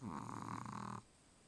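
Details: A sleeping Chihuahua named Charlie lets out one rough, vibrating snore lasting about a second. It has a rattling texture and ends abruptly into near silence in a quiet room.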